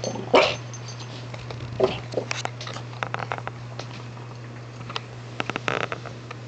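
A French Bulldog lets out two brief, harsh, yelping calls about a second and a half apart. Soft clicks and shuffling follow indoors, with a low electrical hum throughout.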